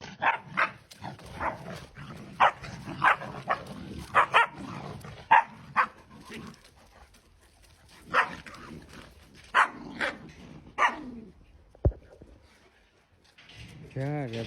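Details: Small puppy playing, giving a rapid series of short, sharp yapping barks in quick bursts, about a dozen over the first eleven seconds, with pauses between groups and a brief clatter near the end.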